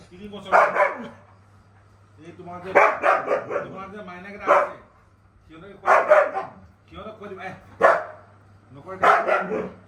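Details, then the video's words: Siberian Husky in a vocal back-and-forth with its owner, giving short, bending, yodel-like howl-talk phrases in about five groups spaced by quiet gaps, over a faint constant low hum. "Husky and his father(owner) have an argument"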